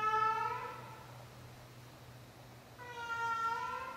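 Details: A 16-year-old cat giving her nightly performance indoors: two drawn-out, tonal meows, one at the start and one near the end, each bending up then down, with a quiet pause between and a steady low hum throughout.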